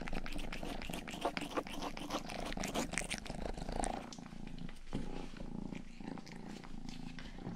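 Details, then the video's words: Indoors, the youngest house cat Rang-i licks a binaural 3Dio ear microphone and purrs; crisp wet licking strokes crowd the first half, then a quieter, even low purr carries on alone. "ASMR 하는 고양이!(Purring & ear licking sound)"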